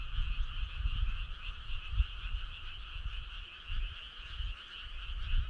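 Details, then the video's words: Many frogs on a summer night by a starry country road give a constant vibrating trill in two pitched layers, accompanied by intermittent low rumbling thumps. "Cool frog sound"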